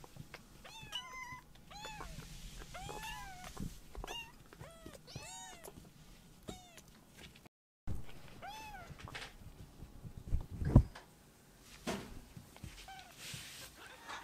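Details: Rescued baby kittens, two of them, just woken from a nap, fussing over their mother and walking around a room: a rapid series of high, arching meows, a short pause, then fewer mews among bumps and handling noises.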